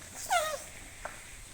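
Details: An elephant named Meri gives a single bright, squeaky, overtone-rich note falling slightly in pitch over about a third of a second as a thank-you, followed by a faint knock; elephant.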